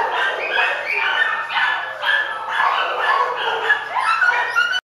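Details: A young male Cocker Spaniel at the Downey Animal Care Center shelter in July 2014 gives a run of high yips and short barks, roughly one each second.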